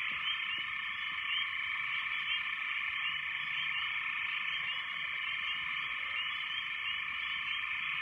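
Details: After heavy rains, a very loud, dense frog chorus forms a steady, shrill, trilling drone with no pauses.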